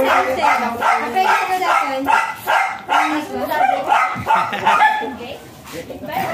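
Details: Thai import line white Pomeranian brought for stud service in Aringay, La Union, giving quick bright yips in a steady run while people talk alongside.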